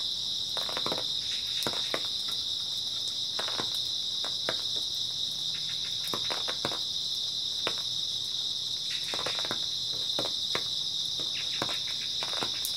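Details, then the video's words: A chorus of grass insects on an early autumn night keeps up a continuous shrill, high ringing drone, broken only by irregular bursts of crisp crackling clicks in the background. "초가을 밤부터 새벽까지 백색소음 풀벌레 소리"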